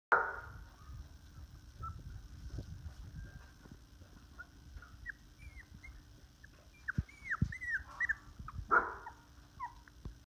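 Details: Litter of young toy or miniature Australian Shepherd puppies growing up, giving short high whimpers and squeaks, clustered in the second half, over low rustling and a steady background hum.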